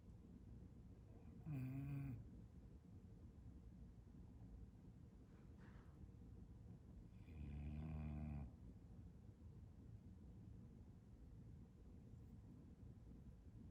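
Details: Bulldog napping with tongue out, giving two long, deep, rumbling snores about six seconds apart, each lasting under a second, with quiet breathing between them.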